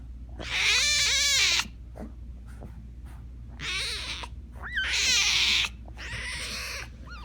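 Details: Young tiger cub wailing loudly in four drawn-out, high-pitched cries of about a second each. The cries waver up and down with rich harmonics and are separated by short pauses, against a low background hum.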